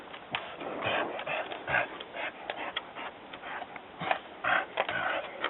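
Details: Dog barking after hearing somebody walking on the trail: a run of short, rough bursts repeated about twice a second, fairly distant and muffled against steady background hiss.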